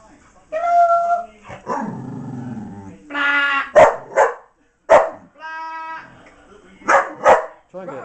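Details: A female miniature English bull terrier named Blaze struggles with a box holding her toy, giving tonal whines and a growly grumble, then loud sharp barks in pairs, with human speech mixed in.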